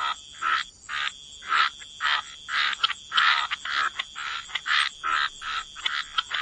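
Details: Frogs croaking by the waterside in wetlands, short harsh rasping calls repeated about twice a second in an uneven rhythm, with quiet gaps between calls.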